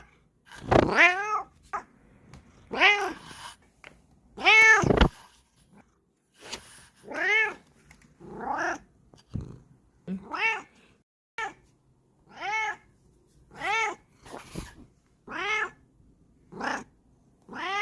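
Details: Female Bengal cat pressing and sniffing at the camera at home; a long series of about a dozen loud arching meows, some strained, repeated roughly every one to two seconds, with soft rubbing and handling noises between.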